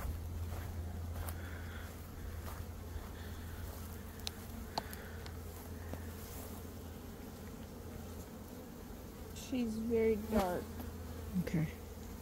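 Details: Swarming honey bees hum during a beekeeper's swarm capture in early May after a dearth, with the dark queen being caged. A steady low drone carries throughout, and human voices break in near the end.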